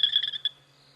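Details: On an evening safari drive, an excited male frog leads a high, pulsing chorus, calling to outdo other males; the frogs all stop at exactly the same time, leaving near silence; hyenas whoop far off.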